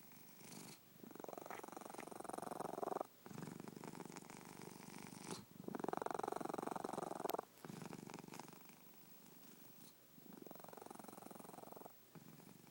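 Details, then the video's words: A pet cat snoring: a low, rough, rapidly pulsing rumble in long breath phases of about two seconds, each ending in a brief quiet gap before the next swell. The room is otherwise quiet. "My snoring cat"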